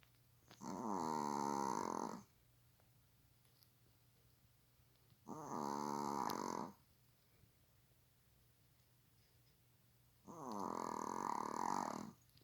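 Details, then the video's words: Pet dog sleeping on a sofa, lying like a person, snoring so loudly it disturbs household sleep; three long, steady rasping snores about every four to five seconds, each near one and a half seconds, in a quiet room. "사람처럼 누워 코고는 강아지 모습(애완견 코골이)"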